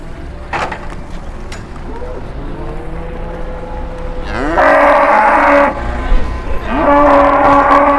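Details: Big Peranakan Ongole cattle at Muntilan livestock market, Indonesia, overcast morning: two loud, rough, drawn-out bellows in the second half, each about a second long, after softer lowing, with market noise behind.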